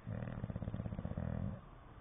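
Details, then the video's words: Sleeping English Bulldog gives a long, low, vibrating snore, a fast rattle of pulses that lasts about 1.5 seconds, with a short dip partway through, before settling into faint indoor quiet. "the English bulldog snoring and flapping"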